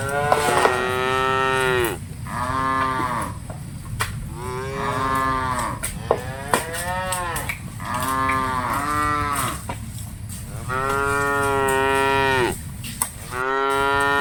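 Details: Dozens of cattle being herded, lowing in a steady run of long, harmonic moos, one after another with short gaps, over constant low rumbling.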